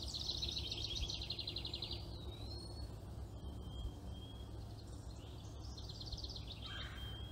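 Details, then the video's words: Chipmunk mother and baby, the young one copying her: a fast pulsed high trill lasting nearly two seconds, scattered thin whistles, then a second rapid trill near the end, set against constant low background rumble. "엄마를 따라하는 아기다람쥐"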